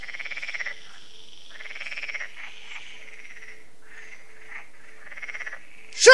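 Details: Frogs at a lake in France, Lac de Sabatte, in the evening: thinner, broken croaking in short bursts with pauses between, ending in a sudden loud knock.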